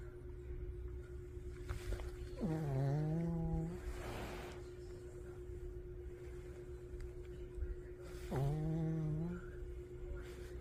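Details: Sleeping dog named Jjang-i snoring indoors: two drawn-out, low, tonal snores with a nasal buzz, each starting with a short rising edge and then holding steady, about six seconds apart, with breathy rushes between them and a steady background hum.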